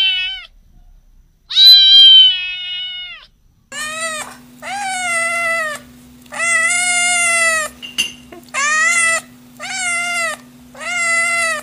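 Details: Drawn-out, steady meows from cats, each held one to two seconds with flat rich tones, about seven in a row, over a constant low electrical hum.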